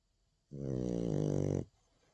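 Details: French Bulldog, a nine-month-old female, snoring in one steady, rough, buzzing breath lasting about a second, low and rich in harmonics with a fast rattling flutter, followed by quiet.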